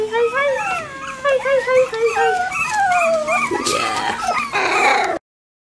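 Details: Bichon Frisé puppies, litters O and P, keep up wavering high whines and squeaks, several at once, ending in a burst of rustling and scraping before silence.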